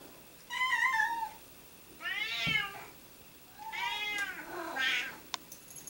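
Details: Several cats meowing indoors without pause: three drawn-out, wavering meows about a second long each, the second rising then falling, separated by short quiet gaps, with a faint click near the end.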